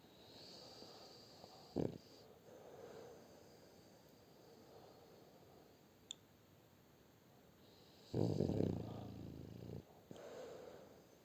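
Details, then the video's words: Shturm the French Bulldog asleep and snoring, a brief rasping snort early, then a long rough snore near the end followed by a softer breath, quiet room background. "Французский бульдог Штурм Храпит"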